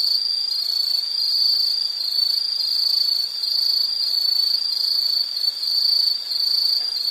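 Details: Nature recording of an insect for study and sleep relaxation, a loud sustained high-pitched buzzing trill that swells and eases gently in volume, steady pitch, nothing else distinct.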